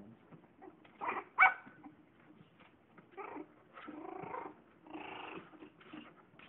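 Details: Newborn Lhasa Apso and Yorkshire Terrier cross puppies playing together: short rough growling bursts and squeaky yelps in clusters about a second apart, with soft pattering between.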